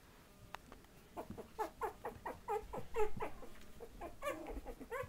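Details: Playful Patterdale Terrier puppies, 20 days old, indoors, growling as they tussle. Around a dozen short, gruff yips and grunts fall in an uneven rhythm, growing louder toward the middle.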